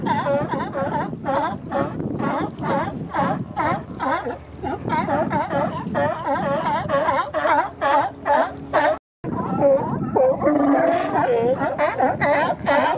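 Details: Crowd of male sea lions along the Coast Guard pier, Monterey Bay, holding mating territories in April and May. Hoarse, harmonic barks overlap in quick succession. A brief dropout follows, then scattered higher, wavering calls amid surf noise.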